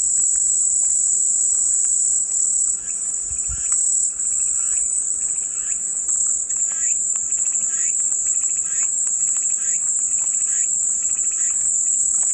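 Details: Cicadas singing as calming white noise: a steady, dense high-pitched buzzing drone without a break, with faint pulsing chirps from other insects repeating beneath it.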